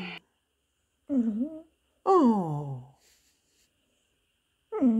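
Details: Hoover, a Pembroke Welsh Corgi indoors, whimpers his 'poor me' plea to be given a cookie: a short wavering moan, then a longer whine sliding down in pitch, and a final falling moan, with quiet gaps between.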